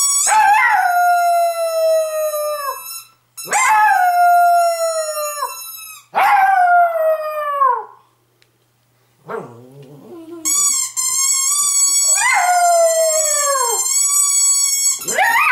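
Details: Pet dog, female, howling to her absent owners or to wake them: a series of loud, drawn-out howls, each sliding downward, repeated every few seconds with a short pause and a brief lower whine midway.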